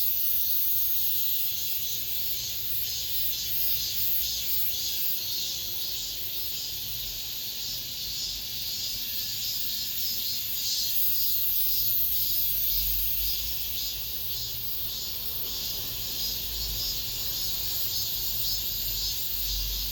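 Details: Cicadas in an apartment complex in late summer keep up an unbroken shrill, pulsing buzz for twenty seconds. A faint low rumble of background noise sits beneath it, louder toward the end.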